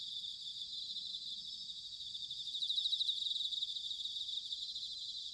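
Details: Autumn chorus of bell crickets recorded in Sanuki, Chiba, Japan: steady high-pitched ringing trills with a louder pulsed burst in the middle, over a faint low rumble of background noise.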